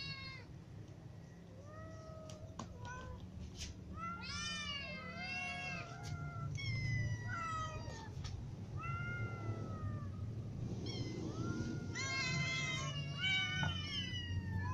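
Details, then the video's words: Hungry cats, kittens and adults with a ginger cat, calling in a busy chorus of short bent meows and higher squeaky cries, overlapping toward the end, over steady low background rumble and occasional clicks. "Ginger cat , little cats and adult cats all meow because they are hungry"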